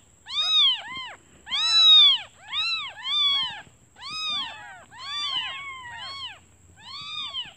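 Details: Just-born kittens call for their absent mother, hungry while she hunts for food; loud, high, rising-then-falling mews, often doubled, in quick bursts about every second, with a faint steady whine behind.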